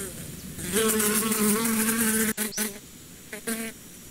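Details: Bee buzz rising from quiet into a strong, low, wavering drone, then breaking into short bursts of humming separated by brief pauses.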